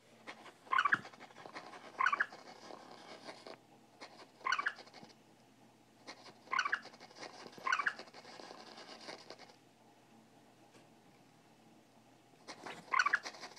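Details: A Siamese cat playing with and trying to attack a mouse on an iPad mini gives short, bright meows in scattered bursts over a soft indoor hiss.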